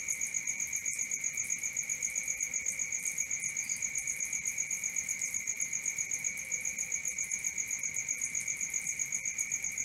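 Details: Crickets at night: a continuous, shrill high trill with a second lower steady whine beneath, pulsing about four times per second without a break, plus a faint soft hiss in the background.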